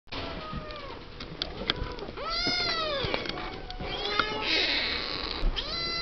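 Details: Several seven-week-old Siamese kittens talking and playing in their pen: overlapping high, arching meows and squeaky mews in quick succession, with rustling and clicks from play.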